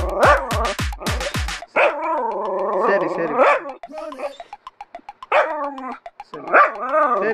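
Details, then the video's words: Jack Russell Terrier, excited at night at New Year 2024, responding vocally as its owner talks about going out and meeting street puppies; a few sharp barks at the start, then long wavering whining howls and yips, with brief clicking noises between. "Jack Russell Night Joy Conversation and Excitement for New Year 2024"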